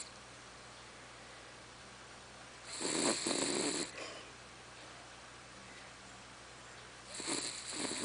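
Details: A female dog named Charlotte snoring with a tractor-like rumble: two harsh, noisy breaths roughly four seconds apart, the first lasting about a second, set against near silence.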